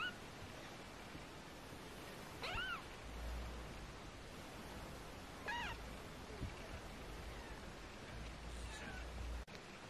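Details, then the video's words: Three faint, short, rising-then-falling meows spaced about three seconds apart from 18-day-old British Shorthair kittens, one of four in the litter, over a soft background hiss and occasional low thumps. "British shorthair Tiny Kittens 18 days old"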